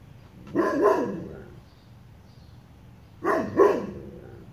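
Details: A dog, an imitation Ridgeback, barks at metal chicken ornaments: two double barks, deep and hoarse, about three seconds apart, with quiet between.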